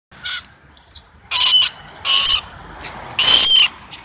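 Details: Norway rat giving harsh, high-pitched squeaking bursts, three loud ones about a second apart with fainter squeaks between them.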